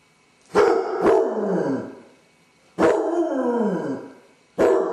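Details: Dodger the basset hound pacing the house alone, anxious after his owners go out; a double-barked onset then drawn-out descending howls, repeated about every two seconds, loud and mournful with no other sounds.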